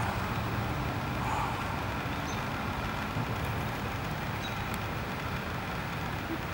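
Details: Steady low traffic rumble from passing vehicles, with no animal calls standing out.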